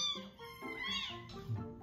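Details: Newly rescued kittens of about 85–89 g, roughly one week to ten days old, cry at feeding time with high, thin, wavering calls in quick succession while a woman's voice is heard nearby.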